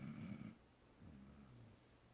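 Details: Dog snoring: a short, rough, low snort for about half a second, then a quieter, rumbling exhale.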